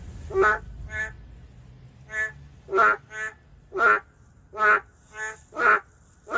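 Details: Endangered boreal digging frogs calling in the city: short, nasal, harmonic croaks with loud and fainter callers alternating, roughly eight calls in six seconds, over a faint low rumble.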